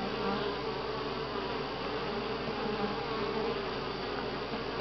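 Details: Honey bees at Grass Lake Sanctuary in week six, recorded July 25, 2011, giving a dense, steady hive hum with a strong low drone and bright overtones that hold evenly throughout.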